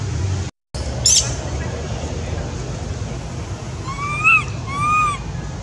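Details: Infant monkey at Angkor Wat calling for its mother with two tonal, slightly arched cries late on, after a short shrill squeak. The background holds a constant low rumble and one brief dropout of sound.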